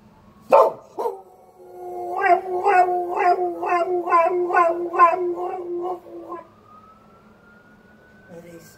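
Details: Border Collie (Canis familiaris), howl: imitating a fire truck siren.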